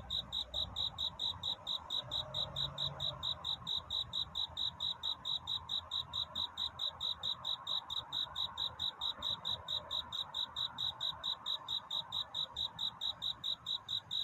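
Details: Cricket singing through the night toward dawn to court a mate: a long run of sharp, high chirps, about four per second and very regular, with a faint murmur beneath.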